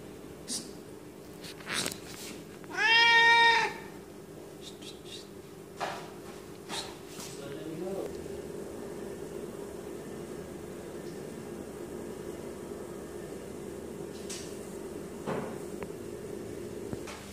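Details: Male Siamese cat growing angry when its body is touched. It gives one loud, drawn-out harmonic wail lasting about a second, with a few faint clicks, a steady low hum, and people talking quietly afterwards.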